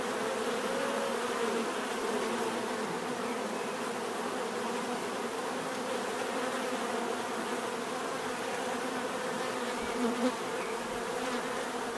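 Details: Bees buzzing in a steady, dense hum, many wingbeats blending into a low droning drone that holds unbroken throughout, with faint higher whine above it.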